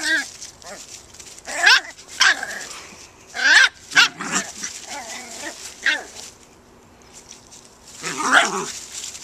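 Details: Scottish Terrier puppy, four months old, frolicking in a back yard with a nine-week-old Cairn terrier on their first full day together; scattered bursts of high harmonic yips and whiny growls, with a person's voice talking between them.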